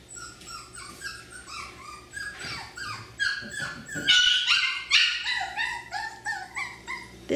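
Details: F1b Cockapoo puppies, three-quarters Miniature Poodle and one-quarter Cocker Spaniel, at Dyer Farms, giving a dense run of high, rising and falling yips and whimpers, several overlapping, growing louder toward the end.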